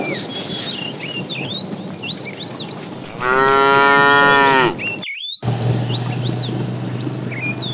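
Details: A herd of tame cows being herded in the afternoon, with a fat cow calling the female. A single rich, sustained moo of about a second and a half mid-clip, with frequent high bird chirps before and after and a brief dropout.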